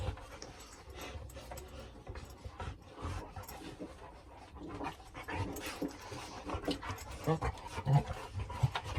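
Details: Dog panting during rough play between two dogs, Reina and Bella, which have played for at least two hours that day. Breathy, rasping bursts repeat unevenly about every two-thirds of a second over scuffling noises and a low rumble.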